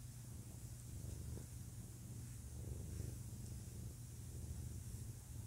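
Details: Deep, continuous purring from a male domestic cat, a soft low rumble with only slight rises and falls in loudness, over a steady background hiss.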